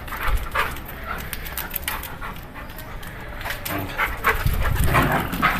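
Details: Pit bull named Scott at play, heavy irregular panting and snuffling with scuffling noises, bursts of rapid breaths throughout, while a man's voice repeatedly calls him in Portuguese.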